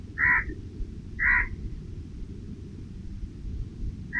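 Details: Two short, rasping chirps about a second apart from a squirrel snacking on offered nuts under tree shade, followed by quiet with a low, even rumble underneath.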